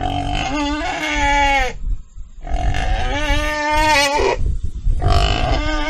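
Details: Pig crying in three loud, harmonic squeals that waver and drop slightly at their ends, over a steady low rumbling background.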